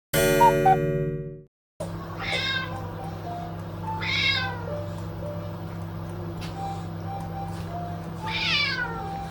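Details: Housecat meowing at home, one of two cats, a Chartreux named Goro and an orange tabby named Tora, that mostly meow to demand food or to be held; three drawn-out falling meows after a brief burst of music, over a steady low hum.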